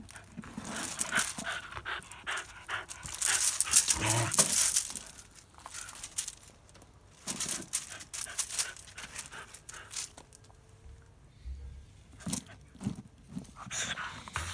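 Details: Fox Terrier named Evie attacking a ball: rough, breathy panting and snuffling bursts come in uneven clusters, with louder noisy rushes near the start and scattered clicks and scuffs from play later on.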